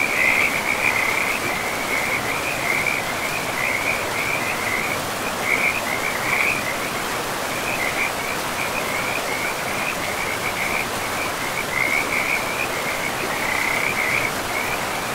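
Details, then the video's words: Frogs by a river deep in a pristine forest keep up near-continuous rattling croaks, pulsed trills repeated in close bursts, all over a constant hiss of flowing water. "River and Frogs sleep sounds"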